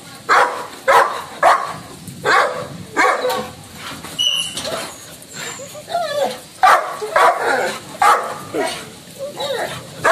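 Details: Labrador Retriever called Lucky, filmed angry at home during lockdown, giving a long run of harsh barks spaced half a second to a second apart, mixed with whiny yips, while a person talks and laughs in the background.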